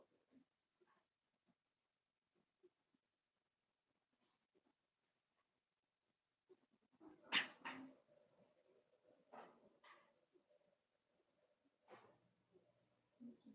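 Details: Four-week-old Cavalier King Charles Spaniel puppies from Daisy's litter in an indoor pen, giving a few short, harsh yelps and whimpers spaced a second or two apart, with faint scuffling before them in a quiet room.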